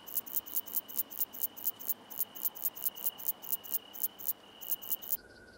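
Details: Common slender bush-cricket song recorded at Freiburg, Germany, on 9 September 2021: short, very high scratchy pulses repeated evenly about four times a second for five seconds over a faint steady tone and soft background hiss.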